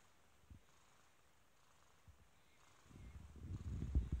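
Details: Purring kitten, a deep vibrating rumble that is faint at first, then grows loud and rough over the final second and a half.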